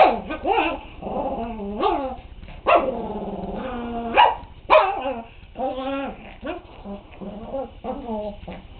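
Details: A big dog growling at an unintimidated puppy; rolling growls swell into harsh barks and drawn-out snarling yelps, loud bursts at the start and around three and five seconds, trailing into lower grumbling.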